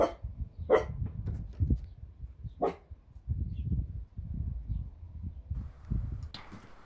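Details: A female beagle gives a few sharp, short barks among low rumbling background noise; she barks for treats, play, guarding or on a "speak" command.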